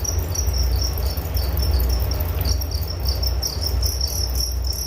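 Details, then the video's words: Rapid high cricket chirps repeat throughout, partly masked by a strong low rumbling background noise. "Relaksasi Suara Jangkrik Penghantar tidur || Nature Sound of Crickets"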